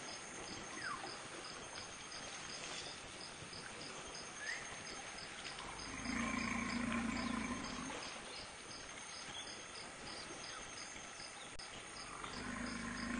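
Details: At Dzanga Bai, Central African Republic, a lost infant African forest elephant searches while calling: two low droning rumbles, the first about two seconds long, the second starting near the end, over steady buzzing insects.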